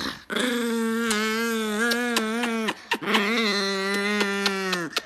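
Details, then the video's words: Two long, steady, howl-like grumbles from an angry dog, each lasting about two and a half seconds. The tones stay fairly level with slight wobbles and a brief break between them. "Angry Dog"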